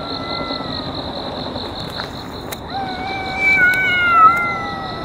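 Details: Park-dwelling cats in a fight that has gone on for over a year: faint wavering tones give way to a long, strained, harmonic-rich yowl that bends up and down, over a steady pulsing insect chorus.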